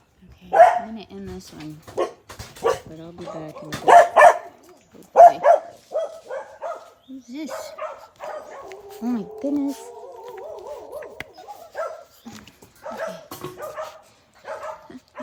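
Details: Blue Heeler puppies of the Australian Cattle Dog breed at play, a busy mix of short yips, barks and wavering whiny growls overlapping for several seconds, bursts clustered early and again toward the end.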